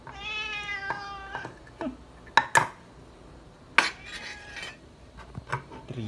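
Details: Pet cat Srintil begging loudly for food, a long harmonic meow opening the stretch followed by shorter cries, punctuated by sharp clanks of dishes and cutlery and a low background hum.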